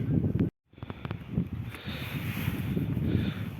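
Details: Gusty wind buffets the microphone over a low traffic rumble and rustling, with a brief dropout near the start and no clear animal sound.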